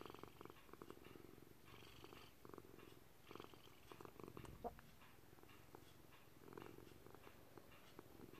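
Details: Senior gray-blue Maltese cat Thunder kneading and purring; a low buzzing, pulsed purr rising and falling with each breath in regular cycles, one brief sharp click midway, quiet indoor background with distant traffic.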